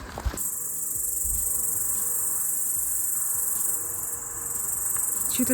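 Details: Local cicadas near Skhidnytsia give a steady, high, hissing buzz that runs almost unbroken, likened to cicadas at the sea, on a summer day.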